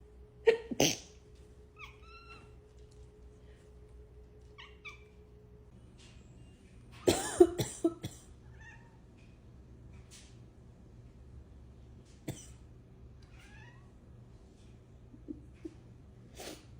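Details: Sushi, a pet cat, mews in a low pitch in reaction to her owner's coughs and sneezes. Short, curving harmonic mews follow a cough near the start. A loud burst of coughing or sneezing comes midway, then a few faint, brief mews.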